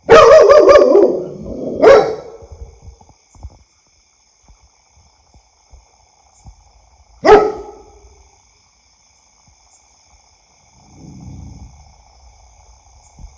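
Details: A dog gives a short flurry of loud barks, then one bark, then a single isolated bark after a long quiet gap. Faint low rustling follows near the end.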